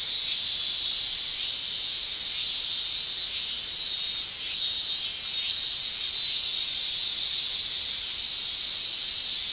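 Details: Male cicadas in Japan in summer, shrilling with their tymbals: a continuous high, hissing drone that swells and fades gently every second or two, with no other sounds.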